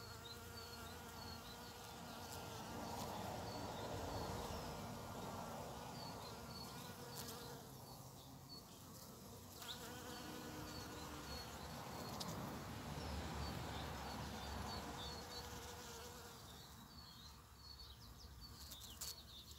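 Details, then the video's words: First bumblebees of spring among snowdrops and primroses as nature wakes: a steady, low droning buzz with a rising and falling hum, and small birds chirping repeatedly in the background. "Первые Шмели"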